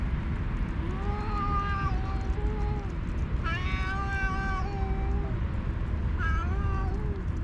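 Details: Two stray alpha cats on a cat island, each leading its own group, fighting by talking while the rest feed; several drawn-out wavering yowls from two voices alternate and overlap over continuous low rumbling noise.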